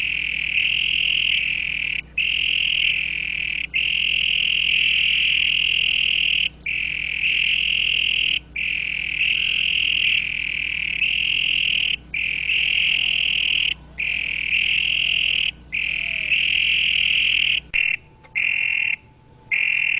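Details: Loud toad croaking as long, continuous buzzing trills lasting several seconds each, broken by brief gaps, then shorter choppy bursts near the end, with a faint low background hum.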